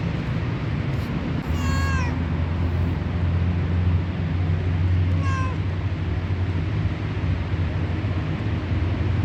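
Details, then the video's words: Fat white stray street cat, very hungry while being fed, meows twice, each a clear falling harmonic call about three and a half seconds apart, against loud low-pitched droning background noise. "THE FAT WHITE CAT IS VERY HUNGRY AND MAKES INTERESTING SOUNDS"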